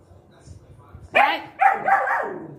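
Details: Max, a pet puppy in Guntakal, angry at dogs barking outside and wanting the gate opened, gives two sharp, loud barks close together after a quiet start, with a man's voice talking just before.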